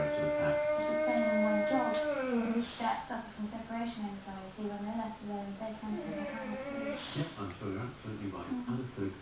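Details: Vinnie, a Boxer dog, howling indoors: a long steady tonal howl held about two seconds, then sliding downward and breaking into wavering notes, with people talking over the later part.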